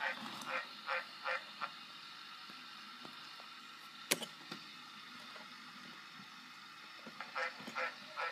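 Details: Green tree frog croaking: a few short, honking nasal notes in a quick run at the start, a long quiet gap with faint clicks and one sharp snap, then another short burst of croaks near the end.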